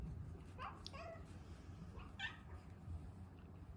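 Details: Kiyoko, a pet cat, pestering for food before mealtime: several soft, short, rising and falling mews, partly masked by low room rumble.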